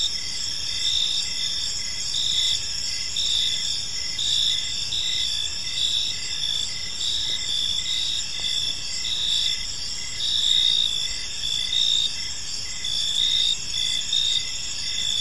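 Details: Crickets in a tranquil park in the evening, a continuous high-pitched chorus of overlapping trills with brief rhythmic chirps pulsing steadily throughout, and a soft rumble of distant background noise underneath.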